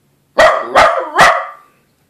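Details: A dachshund named Scooter tries his first howl, giving three quick, harsh barks in under two seconds, each trailing into a brief sliding whine.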